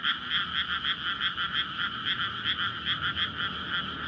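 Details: Night chorus of frogs in a flooded paddy in May, surrounded by housing; frogs emerge from winter soil and call to court and lay eggs, giving a steady wall of rhythmic croaks with faint low traffic rumble beneath.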